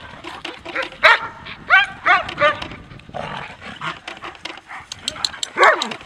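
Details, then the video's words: German Shepherds Lyon and Nellie playing in Maine, New England: harmonic yelps and barks about every half second, mixed with growly rumbles and a human voice. "Lyon and Nellie german shepherds playing"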